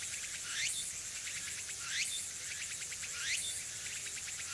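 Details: Tsukutsuku-boshi cicada calling near the recorder at Nishinoomote, Tanegashima, one September 2022 afternoon in early autumn: three bold rising, rasping sweeps about 1.3 seconds apart with a buzzy pulsed tail, backed by constant insect drone.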